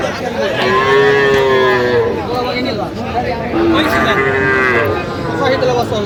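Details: Sahiwal bull calves bought by a farmer in Mymensingh, Bangladesh, 11 October 2025: two long, clear, level moos about three seconds apart, each with a short rise at the end, with faint chatter behind.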